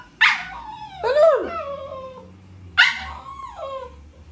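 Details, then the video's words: Poodle called Pepper, worked up while someone eats, fires two loud high yips about two and a half seconds apart, each sliding down into a whiny tail, with a brief extra squeal after the first. "Natataranta pag nakikitang kumakain ka"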